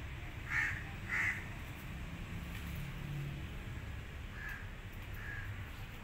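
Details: Rescued, abandoned kitten, alone and needing its mother: two short, loud, high mews in quick succession near the start, then two fainter mews later, over a steady low rumbling background.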